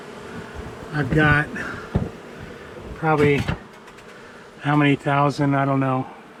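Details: An angry honey bee colony, long housed in a home's wall, during a nighttime cutout on March 6; three separated loud buzzing passes of bees near the ear, with quieter background hum between them.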